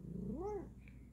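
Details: Bengal cat during playful paw exercises, giving a single drawn meow that rises from low and arches up over about half a second, then fades, with clear harmonic overtones and a faint hum underneath.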